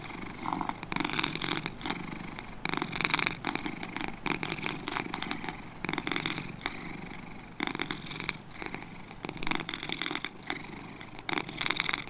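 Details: Pair of domestic cats purring, coarse pulsed vibration in clear breath-by-breath surges with a brief softer dip midway.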